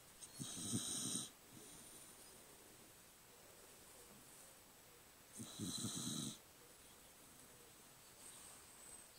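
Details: Sleeping cocker spaniel snoring, two loud raspy broadband snores about five seconds apart, each lasting roughly a second, with quiet breathing between them and a faint hiss in the background.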